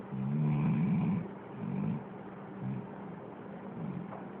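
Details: Snoring dog captured with an Android phone: a loud, raspy low inhale at first, then softer rattling breaths trailing off, over a constant low background hum.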